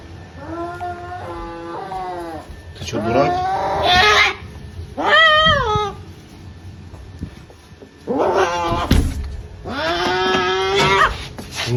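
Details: Domestic cat from a compilation of funny, crazy cat antics, giving a run of loud, drawn-out meows. Some are steady and level, others waver and bend upward or downward, with short pauses between them and faint room noise underneath.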